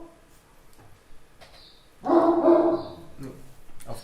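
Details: Pet Great Dane named Ollie giving a single deep, full bark indoors behind people during a live broadcast, preceded by quiet room noise and followed by faint softer sounds.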